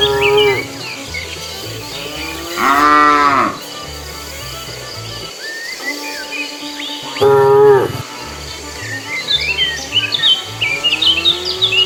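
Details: On a road, a herd of cows roams in search of food. Two loud, strained moos about four seconds apart follow a shorter low call, while many birds chirp and twitter, busiest near the end.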